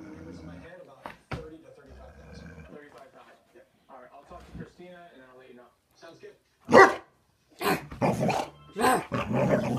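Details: A pet Boxer faces a ceramic Frenchie figurine left behind by a departed housemate dog; quiet voices at first, then a sudden loud bark followed by a quick run of harsh, broadband barks mixed with talking.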